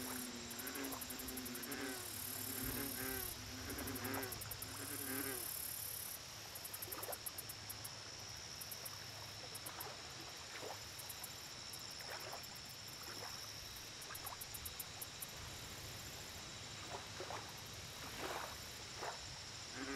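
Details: American bullfrogs calling at a lake: deep, resonant, tonal croaks repeated roughly once a second, loudest at first and then sparser and fainter, with high pulsing insect trills and a steady hiss behind.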